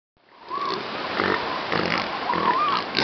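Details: Northern elephant seals at Big Sur, California, give harsh, snorting, pig-like grunts over a steady rushing background.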